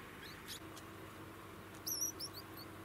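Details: Degu calling: a short cluster of faint, very high, thin chirps and squeaks near the end, some sliding upward, over steady low hum and background noise.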